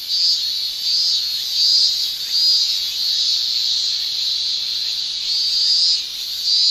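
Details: Male cicadas in Japan during summer, sounding their tymbals in a loud high buzzing shrill that surges and fades in waves roughly every second or so, louder bursts standing out over a steady drone.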